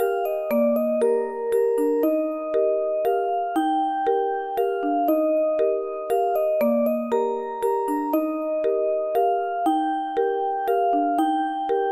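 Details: Gentle glockenspiel-like lullaby music plays in a repeating melodic pattern, with no animal sounds.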